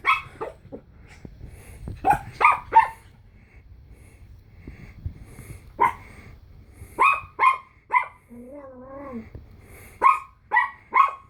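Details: Pomeranian puppy frightened by a Slinky gives clusters of sharp, high yaps in bursts of two or three, with a short wavering whine midway between barking bouts.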